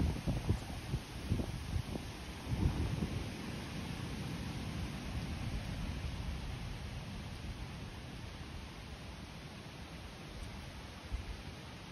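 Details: Broad rustling, rain-like noise with a few louder bumps early on, and no animal call.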